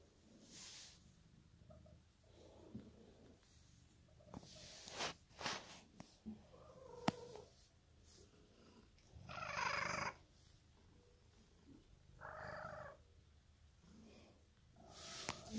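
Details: Emerald, a pet cat, purring indoors: a steady low rumbling throb runs through the whole stretch, broken by short rustling bursts, a few clicks and brief higher hissing noises near the middle and end.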